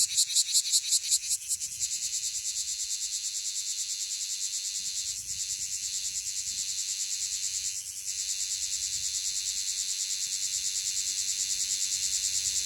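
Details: Okinawan bear cicada, Cryptotympana facialis, singing intently: opening bursts of sharp pulses give way to a continuous high, hissing drone with slight wavering, a faint low rumble underneath.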